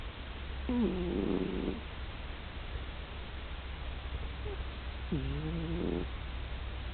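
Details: Domestic cat snoring loudly in deep sleep; two drawn-out, nasal, harmonic snores of about a second each, several seconds apart, with quiet breathing between.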